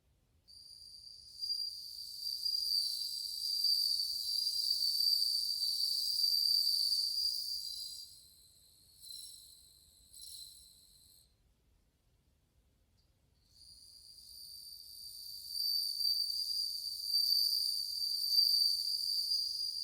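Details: Chorus of many bell crickets in August 2020: high, bell-like ringing trills pulse for several seconds, break off into short bursts, fall silent briefly, then resume just as strongly.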